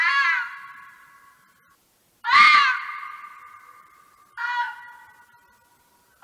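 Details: Red fox (Vulpes vulpes) letting out hoarse, drawn-out screams roughly every two seconds, each sharp onset fading into a long echoing tail against silence.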